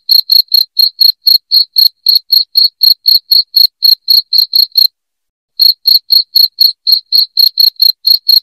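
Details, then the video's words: Cricket chirping used as a rat deterrent at home: rapid bright chirps around four per second, a brief pause just under a second, then the same steady chirping returns. "SUARA JANGKRIK NYARING PENGUSIR TIKUS"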